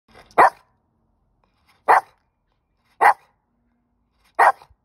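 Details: Dog; bark; demanding a stick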